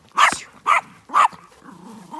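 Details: Working farm dog on a sheep farm in County Kilkenny, Ireland, helping while the flock is moved on shearing day; three short, sharp barks in quick succession, followed by quieter low sounds.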